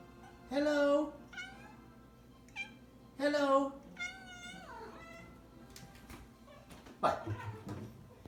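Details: Pet cat, female, making funny talking noises as owners greet her with hellos after work; drawn-out harmonic meows with rising and falling pitch, a few short chirpy sounds, and people's voices between calls.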